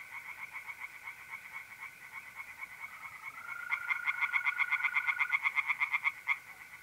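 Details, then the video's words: Night chorus of tree frogs in a pond in north-east Italy in mid-April: a fast series of sharp, rattling pulses, roughly three to four per second, swelling louder midway, over the continuous even trill of mole crickets. "relaxing singing tree frogs in pond"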